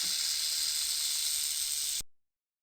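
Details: Snake hissing: one continuous, airy, high-pitched hiss held steadily for about two seconds before stopping sharply.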